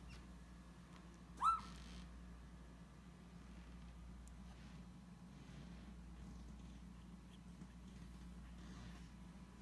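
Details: Beagle puppies, filmed in 2017: a single short, clear whine near second one and a half, rising sharply then holding a level pitch with bright overtones, followed by quiet with a steady low electrical hum beneath.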